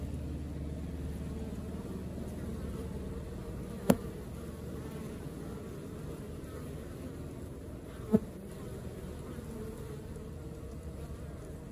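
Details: Honey bee colony at work, heard as a steady low buzzing hum throughout, broken by two sharp clicks near the fourth and eighth seconds.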